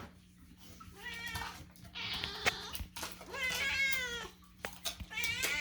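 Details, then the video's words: Loud domestic cats indoors meowing to demand food while it is being prepared: several drawn-out, wavering harmonic meows, some rising then falling, repeated with short gaps, over a steady low hum and clattering kitchen sounds. "loud cats demand food"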